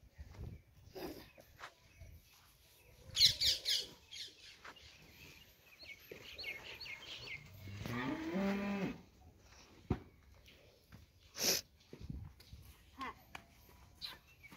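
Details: Banni buffalo at a dairy farm giving a single drawn-out, deep harmonic low lasting about a second and a half midway through, with bird chirps and twittering before and after and scattered farmyard knocks.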